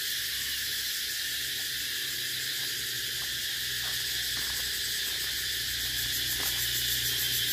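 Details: Steady, shrill cicada buzz holding unbroken over the whole stretch, a high hissing drone with slight rhythmic pulsing and a faint low hum underneath.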